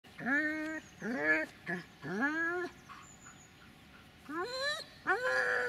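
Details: Dobermann named Magmar Von Der Burgstätte giving high, rising and falling whining cries with clear harmonics, about five drawn-out calls in quick succession with short gaps between them.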